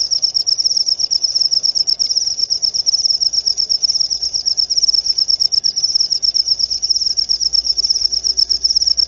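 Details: Sustained high cricket song, a sharp narrow tone beating in quick regular pulses throughout, with a faint low rumble and occasional tiny clicks in the background.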